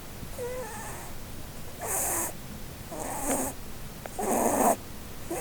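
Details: Blueberry, a female Holland Lop rabbit, sleeping and dreaming under a Christmas tree, snores in soft, breathy, noisy bursts roughly every second and a quarter, with a faint squeaky, wavering tone near the start.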